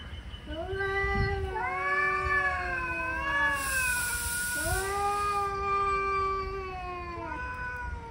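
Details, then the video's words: Two angry male cats arguing: loud sustained yowling with stacked harmonics, long wavering moans that swell and dip, one voice starting again near five seconds, overlapping in a tense standoff. "Angry male cats hot argument"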